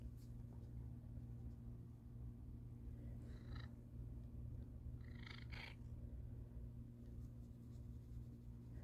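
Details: Black cat named Buddy purring contentedly while getting attention on a Monday morning after breakfast, a steady low rumbling drone running throughout, with a few brief higher rustling sounds partway through.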